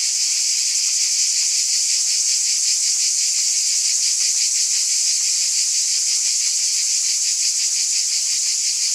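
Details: Dense cicada chorus: a continuous, sizzling high buzz that never pauses, its texture pulsing quickly and evenly throughout, with no birds, wind or voices.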